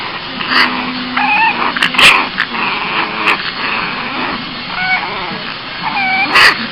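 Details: Cranky Boston Terrier puppy giving short, high whimpering whines with wavering, bent tones, broken by brief sharp noisy bursts over a steady background hiss.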